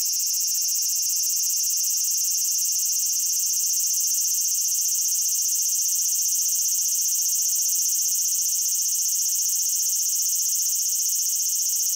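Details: Cicada singing in Japan: a steady, unbroken high-pitched electric buzz that holds its level and pitch throughout, with no other sounds.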